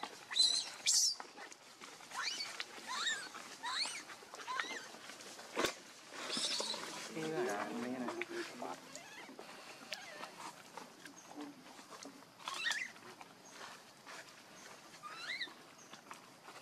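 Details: Baby monkey Leo crying and begging its mother for milk while hungry: thin, high, wavering cries that bend up and down, scattered through the stretch with rustling and other background noise between them.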